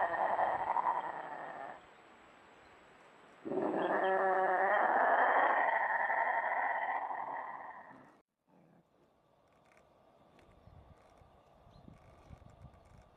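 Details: Iberian lynx (Lynx pardinus) mating call: loud, drawn-out yowling calls with a harsh, wavering tone during mating.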